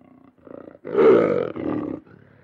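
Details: One powerful lion roar swells for about a second, rough and richly harmonic, trailing into a lower growling tail, with faint grunts leading in and quiet rumbling after.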